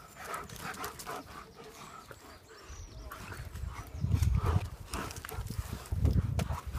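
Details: German shepherds playing in the sun pant in quick, breathy huffs, about three per second, with low thumping and rumbling handling noises underneath, growing louder toward the end.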